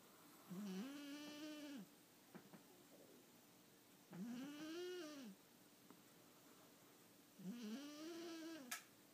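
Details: Domestic cat snoring while asleep indoors: three slow, drawn-out, buzzy tones about every three seconds, each rising and then falling slightly, with quiet pauses between and faint soft clicks.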